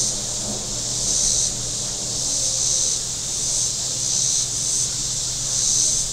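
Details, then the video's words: A warm day on Table Rock Lake in southern Missouri brings a shrill cicada drone from the shore, pulsing in waves about once a second, with a faint low motor drone underneath. "Boating Lake Sounds and Cicadas"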